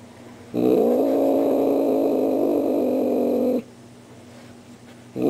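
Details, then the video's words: Star, a pet cat, practicing a Halloween greeting for visitors: one long, sustained, steady yowl lasting about three seconds, starting abruptly and ending sharply, followed by quiet and the start of another. "Star the cat says Happy Halloween"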